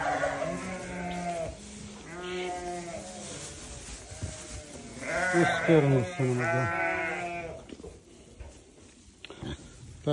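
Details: Newborn lambs bleating repeatedly, roughly two calls a second at times, with wavering, nasal bleats that swell louder toward the middle before fading to quieter calls.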